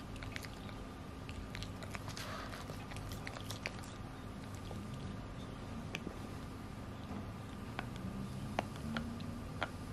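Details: Pekingese named Chai, weighing nine kilograms, chewing on a Himalayan cheese stick, producing irregular crisp clicks and faint crunches against a low, constant indoor hum.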